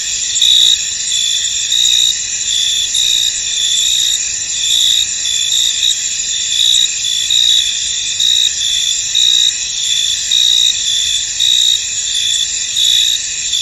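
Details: Crickets trill steadily in a dense, high-pitched chorus with a faint pulsing rhythm in a misty, foggy field.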